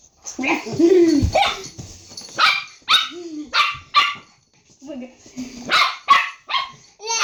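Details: Owner and pet dog trade sounds in a playful argument: a human voice rises and falls at first, then the dog answers with a string of clipped barks and short whining tones, spaced roughly half a second apart.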